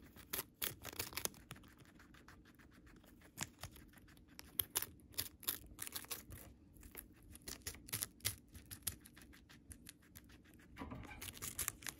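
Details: Moru-chan, a pet guinea pig kept at home, eating Chinese cabbage: bursts of crisp, crunchy bites come in quick clusters, then quieter gaps, and the crunching picks up again at the end in a quiet room.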